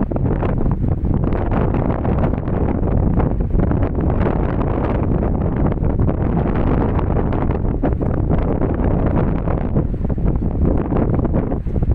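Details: Heavy wind buffeting the microphone fills the whole stretch, masking everything else, with no dog sounds audible.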